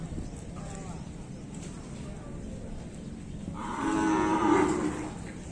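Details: Bali cow being bathed: after several seconds of quiet background noise with faint knocks, one long harmonic moo rises, holds steady for over a second and trails off near the end.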